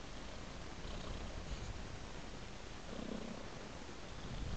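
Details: Deep, even purring from a cat, a constant low vibrating rumble with little variation and a faint breathy swell near the end.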